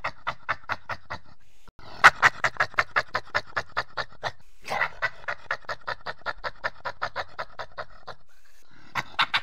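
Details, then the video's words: Badger producing soft, breathy pulses in steady runs of quick repeated puffs, like panting or purring, with brief pauses between runs. "What does a Badger sound like?"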